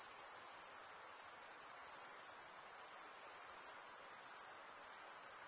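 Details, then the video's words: Chorus of male crickets stridulating: a steady high-pitched ringing trill that dips briefly near the end before resuming at full strength. "Most relaxing cricket sound"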